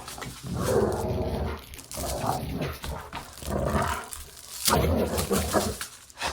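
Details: Dog growling while playing indoors: rumbling growl bursts of one to two seconds, a few rising in tone toward bark-like yelps, with scuffling between them.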